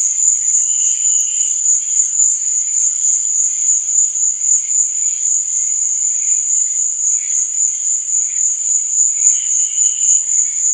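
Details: Crickets chirping at night in a dense, seamless high trill that never breaks, accompanied by faint, intermittent warbling lower tones.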